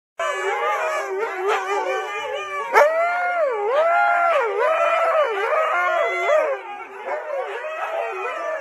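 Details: Husky waking people like an alarm clock: continuous loud, wavering howling and yodelling, its pitch swooping up and down in quick arcs for about eight seconds without a break.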